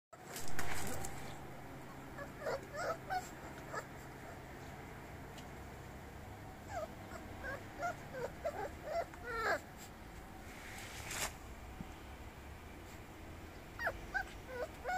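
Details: Classic Bully puppy, a Rottweiler and Olde Bulldog mix, giving short high whimpers and squeaks in scattered clusters over a low steady hum.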